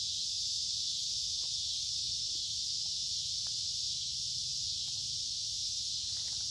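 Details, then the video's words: Woodland cicadas along a creek, midsummer, warm and humid: a loud, even, high-pitched whirring drone fills the air without a break, with a few soft ticks and clicks beneath. "Walking along a Creek with lots of Noisy Cicada Insects Singing in Summer"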